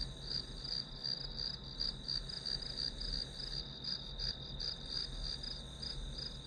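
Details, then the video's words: Steady chorus of grass insects used as study ambience: rapid high chirps repeated nearly three times per second, some louder individual pulses standing out, with low background hum. "풀벌레 소리"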